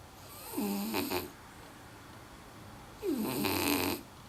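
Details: French Bulldog asleep and snoring a lot: two loud, rough breaths roughly two and a half seconds apart, each carrying a whistly nasal tone that drops then levels out.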